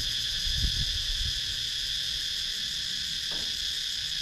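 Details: Constant shrill insect drone from cicadas in wooded countryside at Sakon Nakhon, Thailand, recorded with a GoPro Hero 9, layered high tones holding level throughout, a soft low knock near the start.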